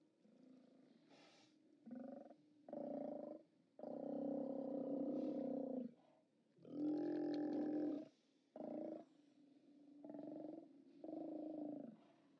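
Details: Steller sea lions at their haulout on 29 October 2017, seen on a live cam, bellowing in deep, rasping roars; short grunts and longer drawn-out bellows of one to two seconds alternate with brief lulls where softer growls continue.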